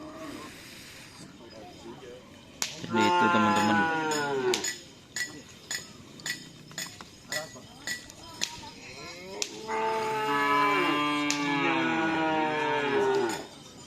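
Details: Cattle during karapan sapi bull race training at the Asemanis ground in Pamekasan, Indonesia: two long, rich moos separated by a run of sharp knocks and clicks, the second moo wavering and bending in pitch.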